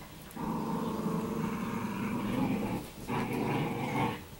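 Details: Italian Greyhounds, one of three playing in an empty room with a boy and a toy, give low rumbling growls: one long steady bout of about two and a half seconds, a short break, then a second, shorter rumble.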